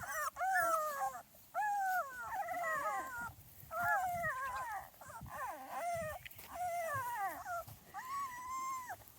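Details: Small Munsterlander pups at two and a half weeks, out of doors for the first time, crying in drawn-out wavering whines that arch up then slide down, several pups calling in turn.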